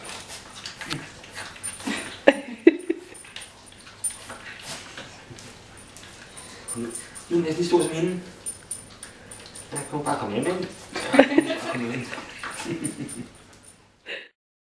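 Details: Dogs at their first meeting: Nicole, a 10-year-old husky, and Chester, a 10-week-old French bulldog puppy. High whimpers and short yips come in scattered bursts, mixed with close, steady Danish speech from people nearby.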